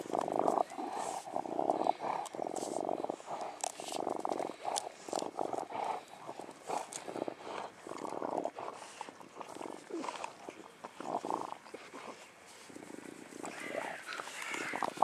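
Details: Dog of the mastiff family, among English bulldog, bull terrier and American bully, panting in a steady run of breathy, rasping bursts, about two each second across fifteen seconds, over faint background noise.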